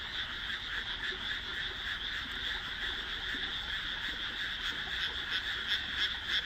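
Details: Frogs calling at nightfall from a freshly planted rice paddy amid housing, June 2012; continuous massed croaking, with a nearer caller adding quick rhythmic pulses toward the end.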